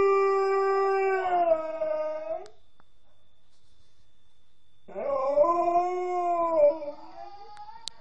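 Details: Female pet Alaskan Malamute howling, seemingly missing her mother; a sustained steady howl sliding downward at the end, a pause of silence, then another wavering howl that rises and dips for about two seconds.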